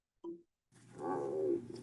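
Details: An American bullfrog in Kentucky, being swallowed by a water snake, holds its mouth open and gives a loud, drawn-out distress scream after a brief opening squawk, a call that may draw predators so the snake lets go.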